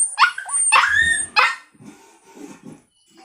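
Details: Puppy letting out three loud high barks with a whiny rising edge, followed by softer low grumbling sounds and quiet.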